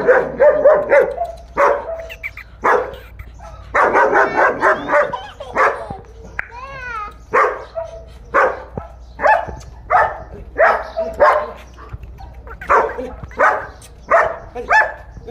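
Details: Kohati Gultair bully dog giving a steady run of harsh barks, roughly one per second, with a brief rising-falling whine in the middle and faint voices nearby.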